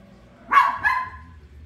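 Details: A toy poodle barks while watching The Lion King indoors: two sharp, high yips in quick succession, the second slightly drawn out, with faint television sound beneath.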